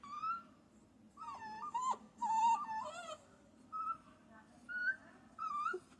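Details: Young puppy whining softly, a series of thin, wavering whimpers, some rising and falling, grouped in short bursts with gaps, against a low steady hum.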